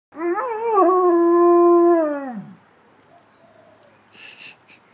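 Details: A German Shepherd crossed with a Staffordshire Bull Terrier howls indoors: one loud, sustained, tonal howl lasting about two seconds, with a slight wavering rise near the start and a falling end, then a faint second note and brief rustling.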